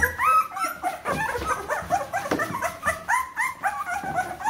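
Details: Litter of 14-day-old Bernese Mountain Dog puppies whimpering together, a steady chorus of short arched whines and squeaks overlapping without pause.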